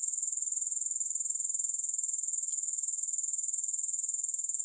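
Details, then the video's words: Unbroken high-pitched grasshopper chorus without music, a thin hissing buzz that throbs in quick, even pulses several times per second throughout. "Grass Hopper Sounds"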